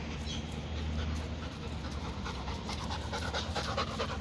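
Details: Dog at a dog run just after rain, panting rapidly with steady breathy huffs throughout, a soft low hum underneath.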